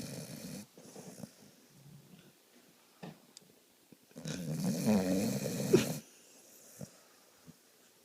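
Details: Dog sound asleep while people watch television: rough, rattling snoring and wheezy breaths, with a longer, louder snore near the middle and faint room noise.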